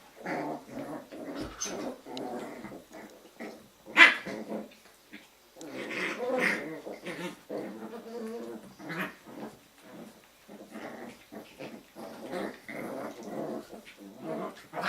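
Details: Jack Russell Terrier puppies from a kennel litter playing together in the evening: near-continuous rough growling with snarls, punctuated by a sharp yelp around four seconds and further bursts of grumbling and yips.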